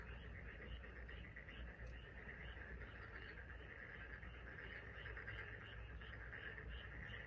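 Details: Frogs chorusing together on the Taean Peninsula, their calls rising as rapid, repeated pulsing croaks in a continuous overlapping mass over a low background hum.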